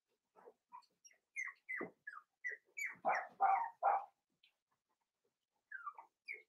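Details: Five-week-old Cavalier King Charles Spaniel puppies from Daisy's litter, penned indoors, letting out a rapid string of high, falling yelps and squeals that builds to louder cries, then a pause before a few more thin whines.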